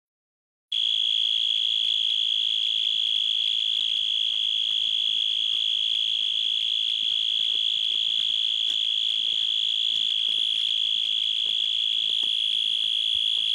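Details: Night-time insects give a steady, shrill, high-pitched trill that runs unbroken without pause.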